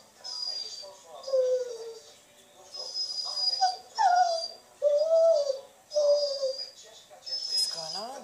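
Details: Dog lamenting for attention, heard over a social network while a French Water Dog listens. It gives a series of drawn-out whines that slide downward in pitch, each lasting about a second and repeating irregularly. A thin high steady tone and some music sit in the background.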